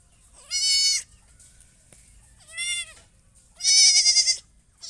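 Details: Goat. A goat bleats three times in quick succession, each call a strained, nasal 'maa' with a slightly wavering pitch. The last bleat is the loudest and longest, with quiet pauses between calls.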